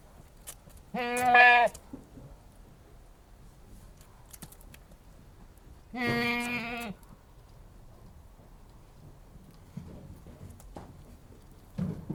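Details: Anglo-Nubian goat giving two loud, wavering, nasal bleats about five seconds apart, each lasting under a second, with quiet background and faint clicks between.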